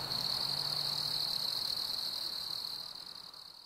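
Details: Chorus of crickets on a warm summer evening, a bright, sustained high trill that fades toward the end, over a faint low hum early on.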